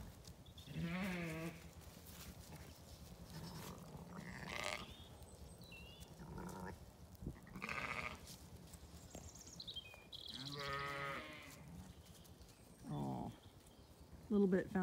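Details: A Zwartbles ewe, newly turned out with lambs in a paddock on a County Kilkenny farm in Ireland, gives loud, wavering bleats, calling for the lamb she left sound asleep.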